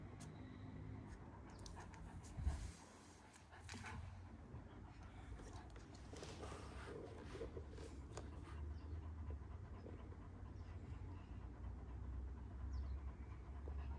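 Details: One-year-old Kangal dogs in Alanya, Antalya, Turkey, on 24 September 2024, breathing in soft, breathy, irregular puffs of panting, loudest midway, over a steady low rumble with a sharp knock near the start.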